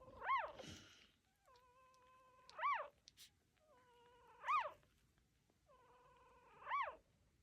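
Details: Newborn puppies from a litter of nine, with their mother nearby, make high squeaky cries that arch up and down, four in a row about every two seconds, with fainter level whines between them in a quiet indoor room.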